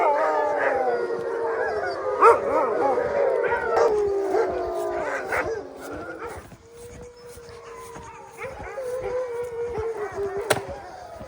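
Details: Chorus of wolfdogs at Wolfdog Forest in snow-covered Hokkaido, Japan, howling inside their enclosure; overlapping wavering howls and short yelps, thinning to a single long steady howl and then a falling one.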